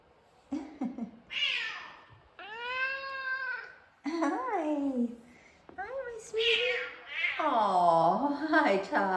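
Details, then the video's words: Two F2 Savannah cats meowing indoors for attention: a run of drawn-out, harmonic meows, some high and sliding, others deeper and bending downward, overlapping with a woman talking softly to them. "F2 Savannah Cats Kumba And Taj Meowing. Taj Has Some Of The Deepest Meows Going On."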